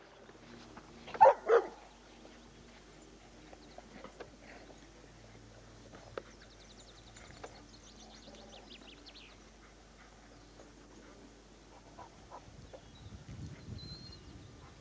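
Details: Dogs out at Whitelees Woods in spring 2002, one giving two loud, sharp barks close together early on, then a long stretch of faint rustling, scattered soft sounds and a low murmur near the end.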